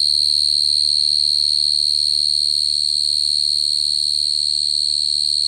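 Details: Shrill, sustained cricket trill, finely pulsed and completely steady in pitch, continuing throughout over a quiet low drone.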